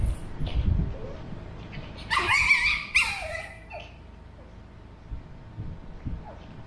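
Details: Male Pug puppy Burrito, 13 weeks old, and Vanta, a two-year-old female mixed Shih Tzu, converse: near silence, then two loud, high, strained yelps close together, followed by a faint short whine and quiet sounds.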